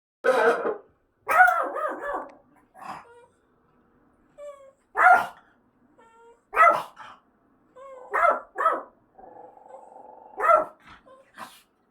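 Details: Pet dog at home barking at the speaker during an apartment fire-inspection siren test: loud, rough barks, some doubled, at uneven intervals, with soft whines between them and a steady electronic siren tone sounding in the background.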